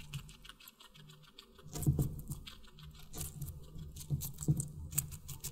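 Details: Guinea pig eating watermelon, recorded close up for animal ASMR: soft wet crunching and chewing clicks in short clusters, loudest bursts near the middle and end, over a steady low indoor hum.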